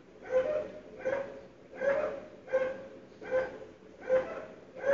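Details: Dogs barking early in the morning, February 2012, loud even behind sealed windows and doors; evenly spaced barks about every three-quarters of a second, each with a strong tonal core.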